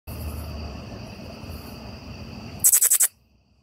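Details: A Lesser Angelwing Katydid (Microcentrum retinerve) at a back door gives one quick chirp of about five sharp, very high-pitched ticks.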